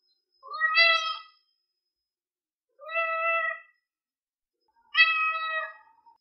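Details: Domestic cat giving three loud, drawn-out meows about two seconds apart, each starting with a brief rise and holding a steady pitch, in a quiet space.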